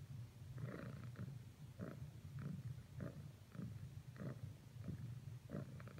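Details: A female domestic cat cuddles persistently against another cat, giving a low rumbling purr broken into short, uneven rasping bursts about every half second, with soft rustling.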